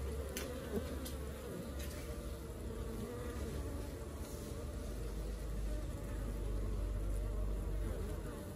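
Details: Honey bee colony at work, a dense continuous low buzzing hum with steady loudness throughout, a few faint clicks and brief higher taps scattered over it.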